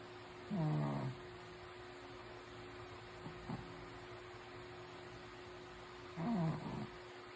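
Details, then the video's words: Shih Tzu snoring while asleep: two low, rasping snores with a sliding pitch, about six seconds apart, over a steady electrical hum. "Snoring Shih Tzu"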